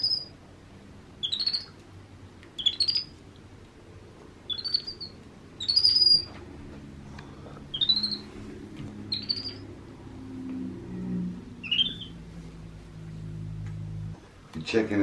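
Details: Young pet monkey Happy, very vocal during playtime and bottle feeding, repeats short high upward-sweeping chirps roughly every one to two seconds over a low indoor hum, with a brief clatter at the end.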